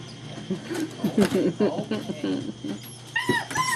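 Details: German Shepherd puppies playing together indoors, recorded 2-5-2012: short high whimpering yips rise near the end, layered over a woman's cooing voice and rustling movement.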